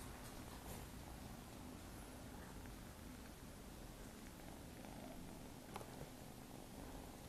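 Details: Nine-week-old Maine Coon kittens indoors, giving a continuous quiet purr, an even low throbbing rumble without pauses, broken only by a brief faint tap near the end.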